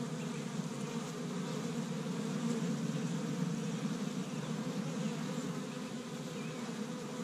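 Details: Busy honey bees around an established Michigan hive on the first warm day of spring, foraging pollen from tree buds; a rich, low, whirring buzz of many wings that swells slightly midway and stays continuous.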